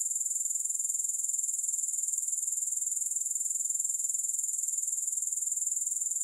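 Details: Grasshoppers in a steady high-pitched chorus with no music, a continuous shimmering trill pulsing rapidly and evenly throughout, with no other sounds.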